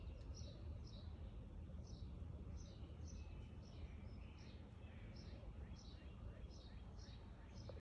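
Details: Fighting chipmunks give thin, high chirps, singly or in quick pairs, every half second or so, over a steady low rumble of traffic or wind.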